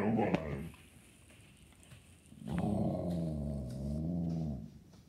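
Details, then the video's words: Ginger, a pet Siberian Husky, 'talks' indoors about hating squirrels: a brief vocal burst, a pause, then a long low harmonic growling moan of about two seconds that wavers and holds steady before fading. "My Dog Says She Hates Squirrels"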